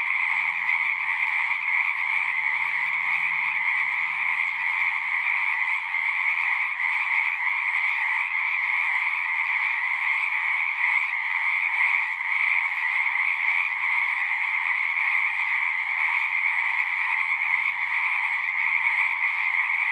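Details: Dense frog chorus of continuous overlapping trills in high and middle registers, steady throughout twenty seconds, with faint low murmurs in the background during the first few seconds.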